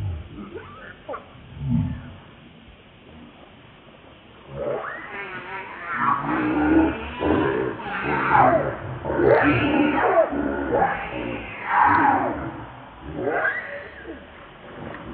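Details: ['Baby monkey Lucie starts with a few faint sounds, then breaks into a steady series of loud, wavering, harmonic wails, about one each second, ending in a final rising cry.']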